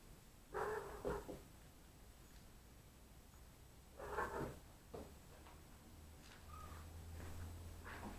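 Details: Neva Masquerade kittens from litters C and D at a Polish cattery during evening play, watched over by their mothers and a sister from litter A; two short, tonal meows a few seconds apart, with soft indoor bumps and a low hum.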